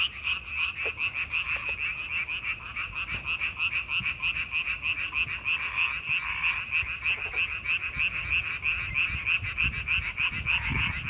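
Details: May frog chorus: many frogs croaking together in a steady, fast, evenly pulsed trill that stays level throughout, with a few faint clicks.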